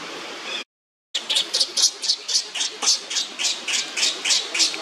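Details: Monkey Leo crying on the ground while Libby torments him; after a brief silent break, shrill squawking cries repeat about four times a second in a steady, pulsing run.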